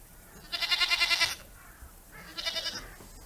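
A goat lets out a harsh, quavering scream lasting nearly a second, pulsing rapidly like a shaky bleat. After a short pause a second, briefer scream follows in the same trembling style.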